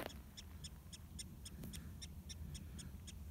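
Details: Mexican prairie dog (Cynomys mexicanus) at a burrow in southern Coahuila, Mexico: about a dozen short, sharp chirps repeated three to four times per second, faint over a steady low rumble of outdoor background noise.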